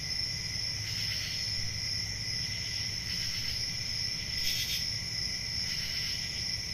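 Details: Unbroken shrill cricket trilling holds one high pitch throughout, layered with a lower buzzing band, briefly brightening near 4.5 seconds; soft low hum underneath.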